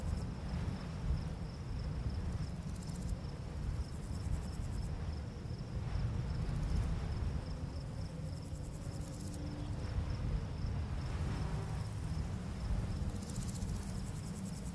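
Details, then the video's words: Crickets on a summer full-moon night in a barley field: a thin, high, steadily pulsing chirp runs through the clip beneath a heavy, low rumble of wind blowing through the grass. "Crickets Chirping"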